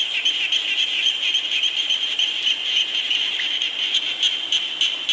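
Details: Rain falls steadily while frogs call together, producing a bright, trilling wall of quick repeated croaks with an uneven rhythm and no pauses.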